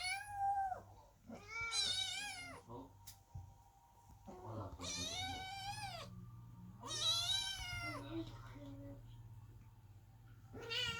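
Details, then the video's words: Loud, drawn-out kitten meows at a closed door during mother cat Chloe's labour, indoors; four long wavering cries arrive roughly every two to three seconds over a faint steady hum. "Котята громко мяукают под дверью, когда кошка Хлоя рожает"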